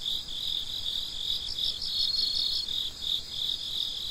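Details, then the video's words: Crickets at night, around midnight, give a continuous high chirping with pulsed bursts swelling and fading. A thin, steady whistle-like tone hangs for about half a second in the middle. "Gece Cırcır Böceklerinin Sesi - Huzur Veren Sesler - The Sound of Crickets"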